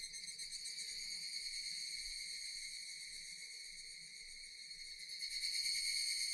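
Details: Japanese cicadas buzz continuously in a shrill, even drone that fades slightly and then grows louder near the end.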